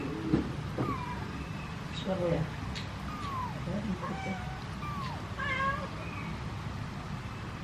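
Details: Kitten inside a cardboard box and its mother calling for a person to lift it out; many thin, high meows curving downward, some overlapping, with low murmuring background noise.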